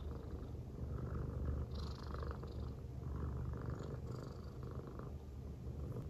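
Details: An affectionate silver tabby American Shorthair, female, purrs as she rests on a person's belly. The low, continuous rumble throbs quickly, and a few brief higher rustling sounds rise over it.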